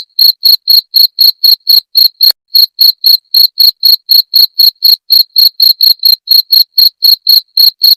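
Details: Rapid shrill cricket pulses, each about a tenth of a second, ticking along four per second, with a short gap after two seconds. The recording is used to drive away rats, and the background is clean.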